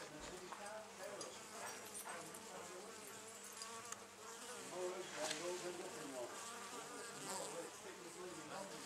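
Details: Wild honey bee colony nesting in an old storage box at the Anson Engine Museum; a dense, steady hum of many bees with overlapping low buzzing tones and small fluctuating flight whines throughout.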